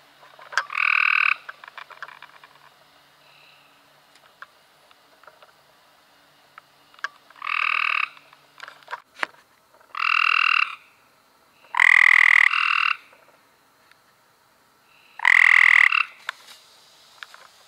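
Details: Several Cope's gray treefrogs in May 2016 trading loud buzzy trills, bursts of about a second coming every two to three seconds, some overlapping, with small clicks and knocks between.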